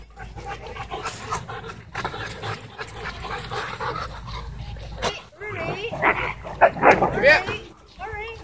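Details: Two Siberian Huskies in an intense play fight at a dog park, trading wavering, rising-and-falling yips and grumbling whines in quick bursts near the end, over scuffling and outdoor background sound.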